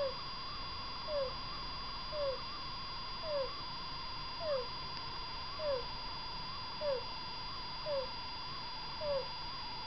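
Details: Sleeping pet degu with abnormal breathing, not ordinary snoring but a sign of illness: a short, squeaky, falling 'kuu' with each breath, repeated about once a second over a steady, wavering background hum.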